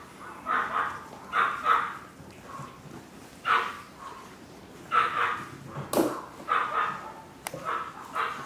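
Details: Chihuahua puppies yapping indoors: thin, high barks in short pairs and threes with brief pauses between, plus a sharp knock or click near the end.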